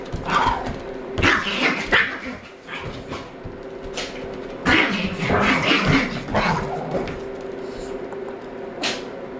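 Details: Three-year-old Chihuahua and twelve-month-old Collie pup playing together, giving scattered short yips, whimpers and barks in irregular bursts, with a person's voice and household noise in the background.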